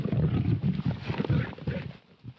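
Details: Wild lions in a fighting context, a documentary scene: deep, rumbling roars and growls concentrated low, pulsing in bursts about every half second, then fading out near the end.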